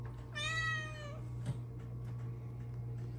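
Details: Female Bengal cat perched at her favorite window while being petted gives one drawn-out, clear, tonal meow lasting under a second, over a steady low hum in a quiet room.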